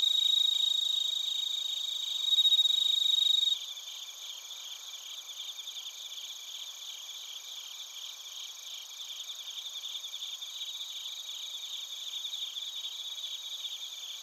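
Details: Chorus of bell crickets and crickets recorded in Narita, Chiba, Japan; a brief louder steady tone opens, then rapid regular high pulsed chirps roughly four per second over continuous insect trilling.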